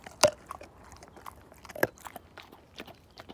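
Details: Slim, a Siberian Husky, tearing a bone apart indoors; two loud bone cracks stand out among softer, irregular gnawing and crunching clicks in a small quiet room.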